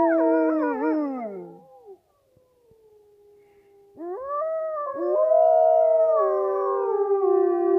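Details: Gray wolves (Canis lupus) howl at Polar Park in Norway: long smooth tones slide down, then several voices rise and hold together.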